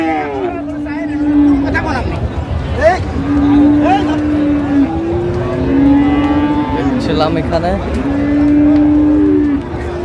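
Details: Friesian and crossbred bull calves for sale at Raniganj market, Dinajpur, Bangladesh, 24 April 2025: several drawn-out, even-pitched moos come in overlapping succession beneath a steady murmur of market chatter and voices.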